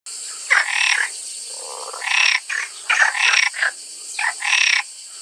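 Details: A house toad gives rough, rasping croaks in short bursts, spaced unevenly, over a steady high hiss.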